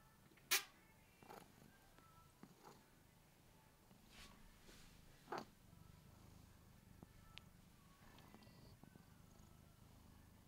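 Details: A domestic cat purrs loudly right into the microphone, a steady low rumble broken by soft clicks and rustles.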